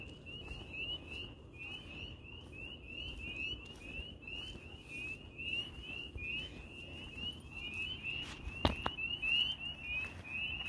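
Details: A chorus of spring peepers on a summer night in a small Upper Peninsula town gives high, rising peeps that overlap in a steady, ringing stream.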